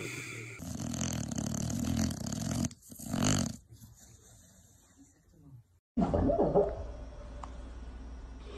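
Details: Sleeping dogs snoring in a funny compilation: loud rasping, rumbling snores in the first seconds, then a quieter stretch, then a different snorer with a low hum and faint background noise.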